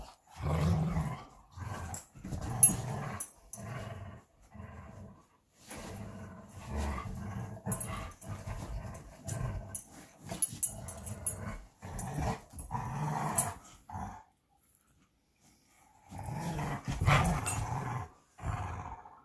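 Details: Two Belgian Malinois named Bullet and Apollo tugging at their favourite tug-of-war toy, giving bursts of deep rumbling growls broken by short pauses, the loudest stretches near the start and again toward the end.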